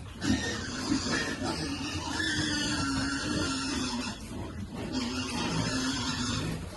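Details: Piglet being fed squeals in drawn-out, whining tones that hold steady for a second or two, then break off and resume, over a noisy, busy background.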